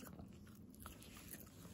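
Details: Hana, a female Kooikerhondje puppy in Japan born May 30, 2021, bites into a new snack indoors: soft, scattered crunching and chewing clicks over a low, steady room hum.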